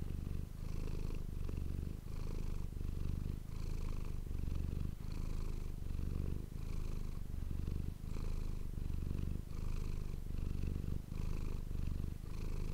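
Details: Manis, a pet cat, purring close to an ASMR microphone indoors; deep continuous rumble swelling and easing with each breath, roughly every second, with no other sounds.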